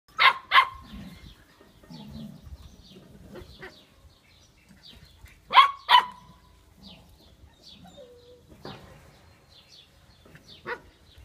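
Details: Chocolate Labrador Retriever puppies, 59 days old, at play during socialisation games in Olivares, Seville, Spain, giving sharp high yaps in pairs and scattered bursts, with low grumbling and rustling between them.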